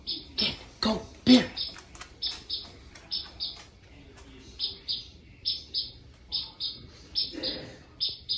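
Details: A small captive gecko, named as Geckoela nebulosis, calls at night with short, high, bright chirps about twice a second in a canary-like series, with a few clicks and knocks early on.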